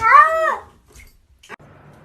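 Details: Domestic cat giving a single short meow that slides downward and fades within about half a second, followed by near silence and a faint click.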